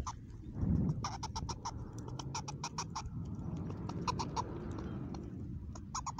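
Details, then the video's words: Unusual vocal from Mama Squirrel, a mother squirrel filmed at a new spot: a steady run of quick, harsh, evenly spaced clicking pulses lasting the whole six seconds against a low droning background. "New Vocal @0:50 (Have you heard b4?) in new spot with Mama Squirrel"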